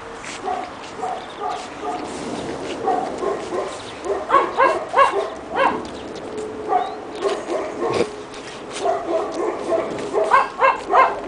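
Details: Snow debut for two-and-a-half-month-old Pekingese puppies in Tallinn, Estonia: rapid irregular strings of squeaky yaps, some doubled, rising to louder clustered barking in the middle and again toward the end.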